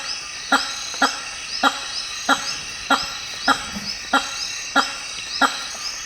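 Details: In African rainforest, a hammer-headed fruit bat honks in a regular run of short, loud, nasal pulses, near one and a half per second, while insects keep up a continuous high buzzing drone.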